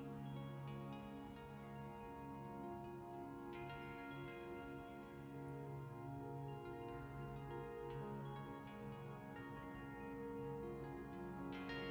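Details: Soft, sustained new-age ambient music with held tones and no animal sound.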